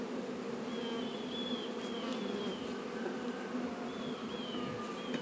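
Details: Honey bees humming at an apiary in northern Kentucky on a 72-degree February day; a thick, steady drone underneath, with thin high whistled bird notes drifting over it.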